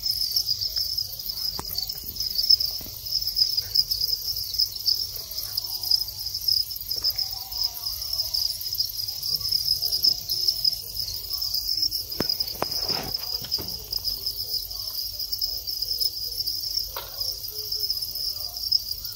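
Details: Thai house crickets in their breeding cycle, long-winged adults after the final molt, with males calling as mating begins. A dense, steady, high-pitched chirping drone runs without a break, joined by a few faint clicks and knocks near the middle.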